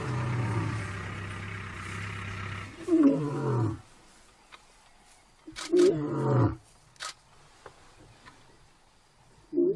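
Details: Wild lion in an African national park calling another lion: a deep, drawn-out moaning roar of nearly four seconds, then two shorter descending grunts a few seconds apart, with faint insect ticking between.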